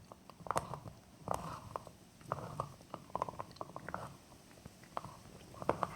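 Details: Jack Russell Terrier dog, male, eating a bone indoors: dense, steady crunching and wet gnawing with sharp bite clicks every fraction of a second throughout.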